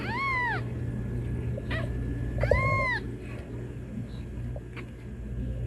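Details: Kitten meowing to call its mom: a brief arched meow at the start, then a fuller, longer meow a couple of seconds later, over low continuous hum and faint knocks.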